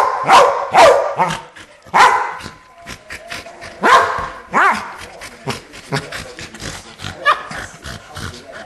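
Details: Keeshond dogs Charlie and Fiffi, with sharp barks and yips spread irregularly over nearly nine seconds, strongest near the start and around the middle, then fading to softer, scattered yaps.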